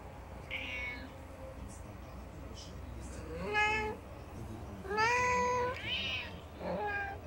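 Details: Domestic cats, four in the household, begging for food on 20 March 2019; a few short meows early, then loud drawn-out rising-falling meows near the middle and end, overlapping calls from more than one cat over low background hum.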